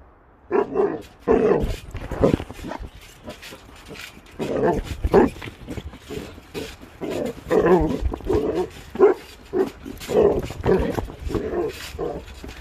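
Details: Basset Hound bouncing on a trampoline, barking repeatedly in deep, hoarse bursts, sometimes doubled and spaced about a second apart, with soft rustles and thumps between them.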